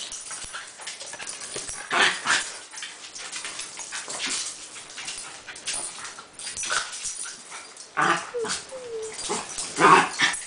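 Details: Dogs at play: a West Highland White Terrier playing rough with several dachshunds. Noisy growl-like bursts rise and fall, louder near two, four and eight seconds, with brief thin high whines around eight to nine seconds.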